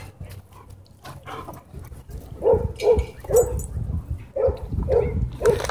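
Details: Dogs at a dog park during a fight, a small white dog having launched at and bitten a German Shepherd; about six sharp, mid-pitched barks come in a quick run, roughly every half second, over low rustling background noise.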